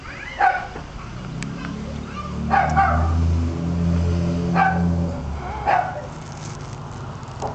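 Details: A female dachshund in Hawaii gives short, sharp, ringing barks in a loose series a second or two apart, over a steady low droning hum, probably an engine.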